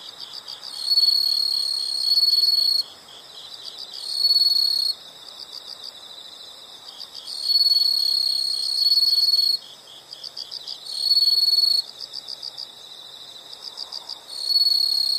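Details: Insects in nature: loud high trills lasting about two seconds alternate with quieter stretches of steady pulsed chirping, the pattern repeating roughly every four to five seconds over a faint background hiss.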